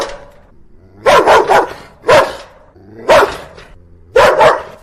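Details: A dog barking in four loud, separate bursts about one second apart, each a harsh broadband woof with a short trailing tail, on a quiet background.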